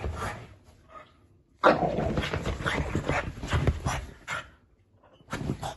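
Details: Margo, a female French Bulldog puppy, has zoomies on a sofa and gives a rough burst of snorting grumbles and short barks, then a person speaks.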